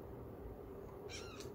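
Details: Pet cat giving a little squeaky meow: a brief, thin, high-pitched double squeak near the end, over steady low household hum.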